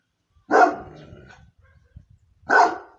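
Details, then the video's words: Moscow Watchdog, a guard dog breed, giving two loud deep barks about two seconds apart, with a low trailing rumble between them and no other sounds. "Московская сторожевая собака. Лай собаки."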